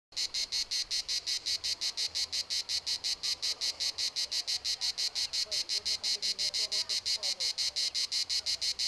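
A cicada sings a harsh, buzzy pulse repeated about four to five times a second.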